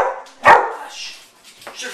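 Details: Household pet dog gives a single sharp, loud bark, set between softer murmuring human voices and faint indoor noise.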